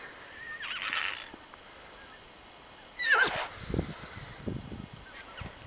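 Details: Welsh Cob Section D filly foals, seven and nine months old, out in their first snow on 26 January 2014: a brief high whinny near one second, a sharp falling squeal at three seconds, then soft thudding hoofbeats.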